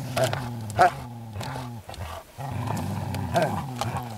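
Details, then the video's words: Groenendael dogs growling while resource guarding during play: continuous low, rumbling growls rising and falling in pitch, with a few sharper bursts, over a busy background. "dog resource guarding play groenendaels"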